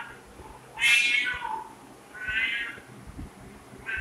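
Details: A domestic cat meowing: one loud, high, drawn-out meow that slides downward, followed by a softer second meow and the start of a third, over faint background noise.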